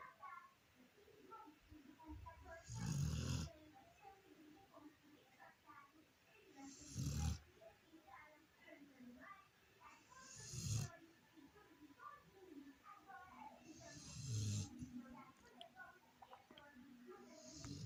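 A sleeping Rottweiler snores in deep, rasping breaths roughly every four seconds.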